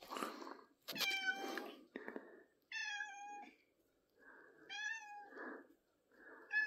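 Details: Indoor recording from 3rd April 2024 of the pet cat Pippin meowing: several clear, tonal meows with rising then falling pitch, separated by soft murmuring sounds and a brief clatter near the start.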